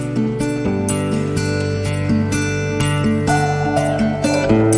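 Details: Loud strummed acoustic guitar music plays across the short stretch, with no animal voice audible.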